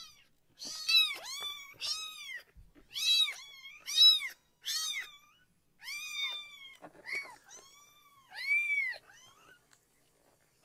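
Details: Loud, high meows from a rescued baby kitten protesting while being bathed below the waist indoors; long arched cries with strong harmonics, about one every three seconds, fairly clean with little background.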